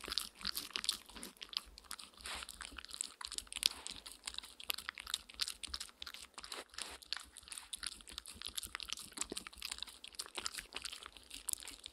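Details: Close, crisp crunching, biting and chewing noises of eating in a small indoor room, with no calls or vocal sounds.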